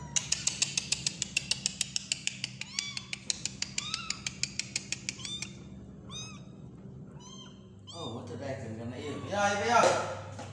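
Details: Small kitten being hand-fed, giving a run of short, high, arched mews, each rising then falling, repeated every second or so, after a fast train of sharp clicks; people talk and laugh toward the end.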